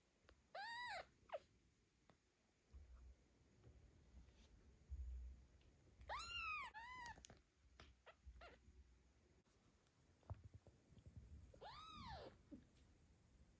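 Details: A domestic mother cat named Zlata, guarding her newborn kitten from other cats during an afternoon walk, gives three loud arched meows, each rising then falling, spaced a few seconds apart, with soft rustling between.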